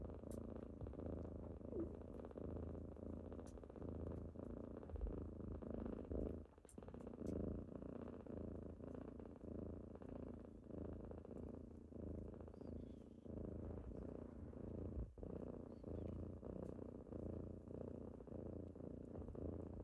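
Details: Purring kittens on a typical morning, nuzzling their owner awake: a long unbroken low-pitched rumble with gentle rises and falls, one short dip in the middle, and scattered faint clicks.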